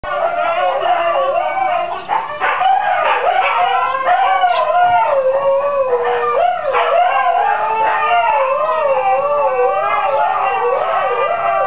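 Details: Several female Siberian huskies howl together alongside a neighbour's chickens, overlapping wavering tones that rise and fall in a continuous chorus, with sharper yips breaking in throughout.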